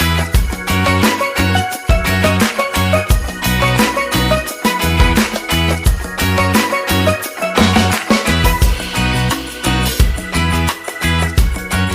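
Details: Loud, lively Latin-style music with brass and strong rhythmic beats throughout, and no animal sound audible.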